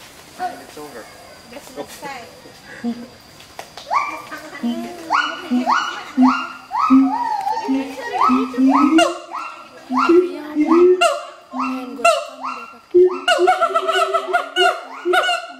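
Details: Territorial duet song of a pair of adult siamang gibbons at Schmutzer Primate Center, with deep throaty booms repeated about once a second beneath loud, climbing whoops that grow faster and higher toward the end.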